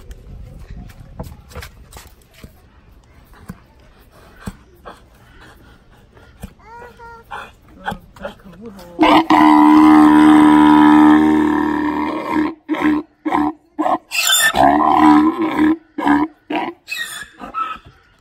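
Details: A male Grévy's zebra at Los Angeles Zoo, recently a father, brays twice: a long, loud, harsh tone, then a run of rhythmic, wheezing gasps.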